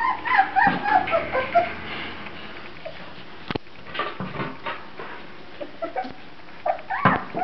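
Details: Grand Basset Griffon Vendéen puppies whimper in a short burst of thin, wavering squeals that slide up and down, then fall to a few scattered, faint yips and a sharp knock against a quiet indoor background.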